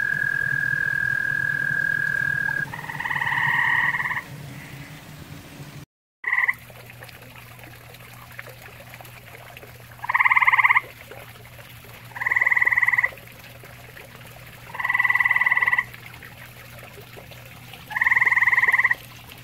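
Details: Grey tree frog calling at a pond shared with common toads: short, buzzy pulsed trills of under a second, repeated roughly every two and a half seconds, over a faint low hum and quiet watery background.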